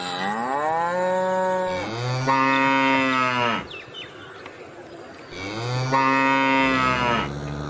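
A cow gives two long, loud moos, each rising and then holding steady, with a short pause between them.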